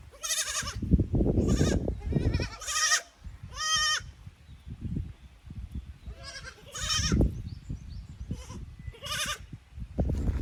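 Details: Young goat kids from a lower pasture visiting an upper pasture on a handmade goat farm in Japan, 15 May 2024; repeated harmonic, wavering bleats from several animals, some high and some lower, with rustling and low ground noise between calls.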